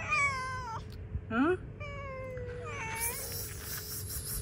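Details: A hungry cat eating cut fish outside meows in long, slowly falling tones, one short squeaky rising call, then a hissy noise burst near the end.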